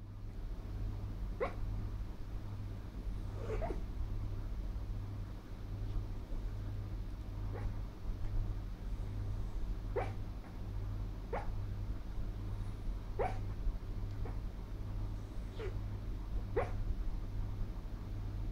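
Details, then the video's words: A female Miniature Schnauzer barks in her sleep while dreaming: about eight brief, muffled, clipped woofs scattered every one to three seconds over a loud, steady low electrical hum. "Funny dog BARKED in her DREAM!!!"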